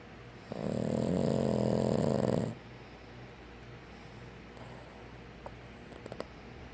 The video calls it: Snoring Boston Terrier